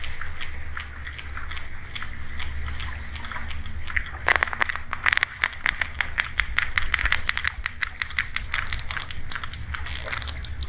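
Sperm whale clicks: sharp, broadband snaps in irregular bursts over a low underwater rumble.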